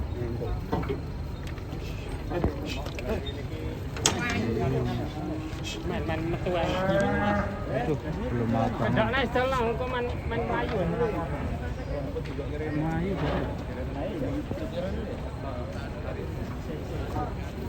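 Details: Cow stepping down from a truck and stumbling, said to be sleepy; a few drawn-out, wavering moos rise in the middle of the recording over steady crowd chatter and rumbling background noise.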